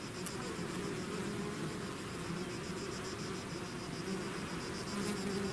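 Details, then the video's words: Bees swarming out of their hive: thick, unbroken droning buzz from countless wings, low and even, with faint higher whirring above and occasional louder passes. "bees therapy swarm natural buzzing sound"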